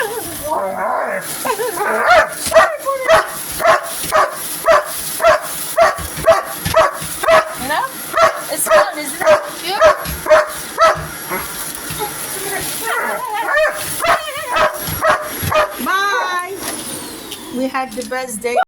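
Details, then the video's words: Dog barking at a vacuum cleaner at home: long run of quick repeated barks near two per second, then a looser stretch with whining, yipping calls toward the end, vacuum hiss throughout and some speech. "Barking at vacuum cleaner"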